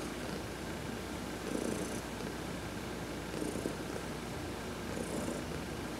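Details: Heidi, an adopted domestic cat, purring while being massaged during a sun bath; a soft, steady low rumble swells in pulses about every 1.8 seconds, with faint hissing rubbing sounds above.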